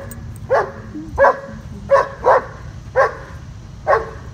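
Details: Bosco, a 2-year-old German Shepherd with severe dog aggression, in for a two-week board-and-train program in Virginia, gives six sharp, loud barks spaced irregularly, roughly one every half to one second, over faint background hum.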